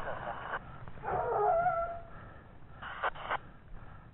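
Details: Gascon Saintongeois hound, 17 months old, on a wild boar trail: one long, wavering bay lasting about a second, then short cries near the end, with a man's voice and rustling in the background.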